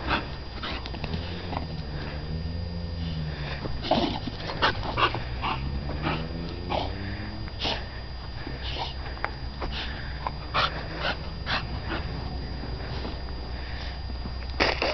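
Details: Titan, a dog kennel-named West Wind's Whose Your Daddy, playing in the dog yard: drawn-out harmonic moaning and grumbling vocalizations, rising and falling in pitch, mixed with scuffling and snuffling sounds throughout.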